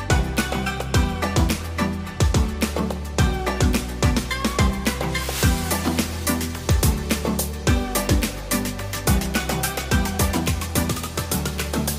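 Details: Rhythmic instrumental dance music with steady bass and percussion plays throughout, and no animal calls can be picked out.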